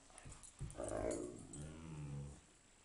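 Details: A Great Dane gives a deep, drawn-out, moaning howl that swells and then holds steady, "singing" on command, a trick he does more and louder when he wants something.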